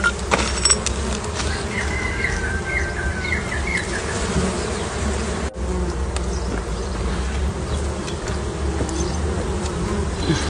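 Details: Honey bees at beehives during honeycomb harvesting make a dense, steady, low hum of many wings buzzing together.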